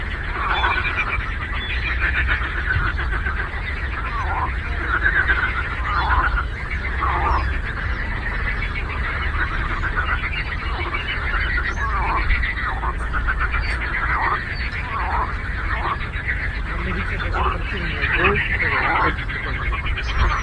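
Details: Frogs in a chorus on a lake: dense, overlapping rattling croaks rise and fall in waves throughout, each call a rapid burst of pulses, over a steady low rumble.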